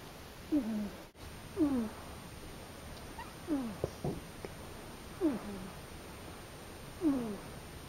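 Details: Akari, a female pet cat, recorded in her first two months with a new household, gives five short, downward-sliding meows spaced about one to two seconds apart. Each is thin and plaintive with faint overtones. A quiet background hum runs underneath.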